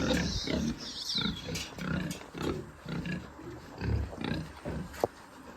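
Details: Pigs on a pig farm giving a run of short, low, rough grunts in irregular bursts, some deeper snorts among them, with a sharp click near the end.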